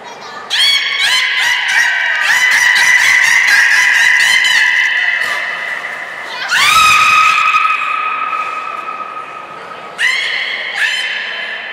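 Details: Captive beluga Nana in training at Port of Nagoya Public Aquarium, April 13, 2019: long honking, goose-like squeals with rich overtones, a rapid pulsed run early on, then sustained tones broken by fresh bursts near seven and ten seconds.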